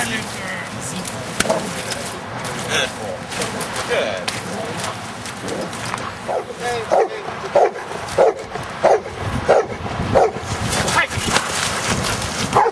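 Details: Luther, a giant schnauzer, plays in rain and mud, recorded 01-12-10; after a noisy start, short sharp barks repeat about every second and a half through the second half, over steady rain-like hiss and some human voice.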